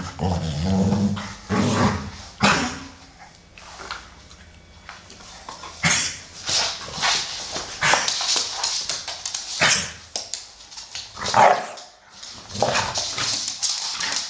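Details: Amstaffs at play, an old brown male and a young grey female; scattered growls and grunts mixed with broadband scuffles, pawing and thumps, broken by brief quiet stretches.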